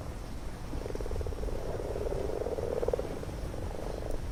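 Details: Close-up of a common frog chorus in a garden pond at spawning time, males calling for females; soft rapid purring croaks pulse through the clip, overlapping rattles over a low rumble.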